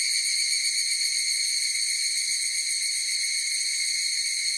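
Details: Higurashi cicadas in chorus: a steady, ringing high buzz with stacked bright overtones, unbroken and even in loudness throughout, with a faint fast shimmer and no other sounds.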